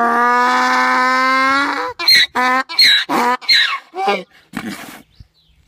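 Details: Braying donkey holds one long, steady, reedy tone for about two seconds, then breaks into a quick run of short, ragged, gasping honks that fade out.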